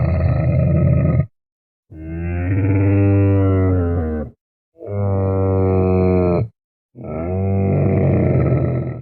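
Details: A Bactrian camel makes four long, deep, harmonic bellowing groans, each one to two seconds long. They are separated by short silences and have a bubbling, gargling quality.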